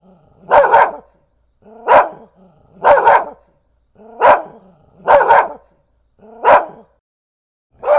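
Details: Dog barking in a steady series, seven loud harmonic barks spaced roughly one second apart, each a short burst with a faint lower lead-in; quiet between barks.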